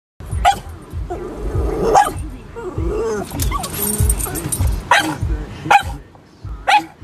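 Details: Boston Terrier barking as a guard dog: sharp, short barks spaced irregularly, about six over seven seconds, with background music and a low rumble throughout.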